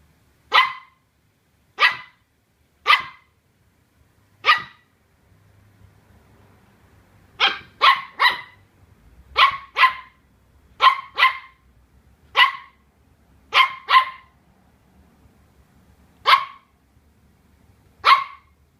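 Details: Colin, a Welsh Terrier pup, barks at a cardboard box that intimidates him: sharp single barks, some in quick pairs, spaced irregularly about one to two seconds apart, with quiet gaps between.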